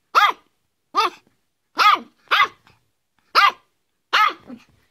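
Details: A Yorkshire Terrier gives six loud, shrill barks, each brief with a bent harmonic tone, spaced roughly every three-quarters of a second against a silent background.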